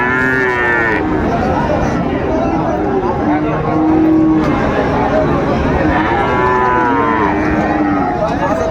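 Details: Friesian and crossbred bull calves at Raniganj cattle market in Dinajpur, Bangladesh, on 26 July 2024; drawn-out lowing moos rise and fall over a constant din of traders' voices and market crowd noise.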